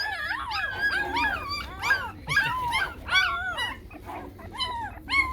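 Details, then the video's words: Chow Chow puppies aged fifteen days, restless and wriggling as they are held; overlapping squealing whines from several pups, bending up and down in pitch, nearly continuous with brief pauses. "Chow Chow yavruları 15 günlük elle tutamadık kıpır kıpır lar"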